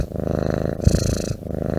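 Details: A domestic cat purring steadily up close indoors, a low continuous rumbling hum with even pulses and a brief louder swell near the middle.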